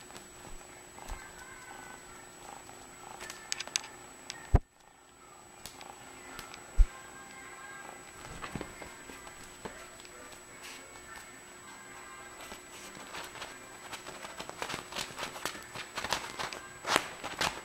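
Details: Friendly four-month-old male red tabby and white van Persian kitten purring, described as purring non-stop: a soft, low continuous rumble under steady handling rustles, with scattered clicks and a sharp knock partway through.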